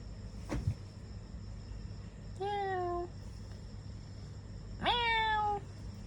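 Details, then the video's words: Kitten meowing at night indoors: two clear, slightly falling meows about two seconds apart, each under a second long, over a steady low hum and faint electronic whine. "Tonight talking with kittens"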